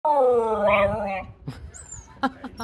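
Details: Male Shiba Inu indoors, greeting its owner on coming home with a drawn-out, harmonic, moaning howl lasting about one second that dips slightly in pitch. Quiet room sounds and a few soft clicks and knocks follow.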